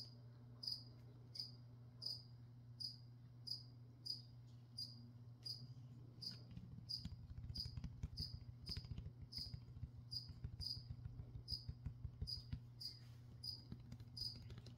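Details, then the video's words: Cricket chirping indoors during a plant-spraying session: short, sharp, high chirps repeated roughly every 0.7 seconds over a steady low hum, with soft rustling and handling noises growing in the second half. "Spray and Chirp (some whispering | spraying plants | cricket)"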